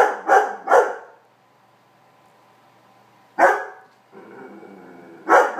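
A Weimaraner gives loud, sharp barks, a quick pair and then two more, to drive a cat off his bed.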